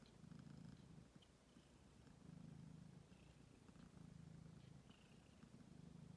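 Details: Stray kittens, ten days old, recorded 6 May 2022: steady low purring in long pulsing stretches, with soft faint high squeaks now and then in the background.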